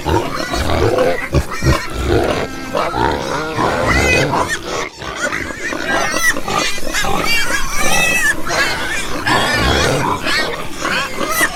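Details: Several pigs grunting and squealing together in a steady, crowded chorus of short harsh grunts mixed with higher, wavering squeals, with no pause throughout.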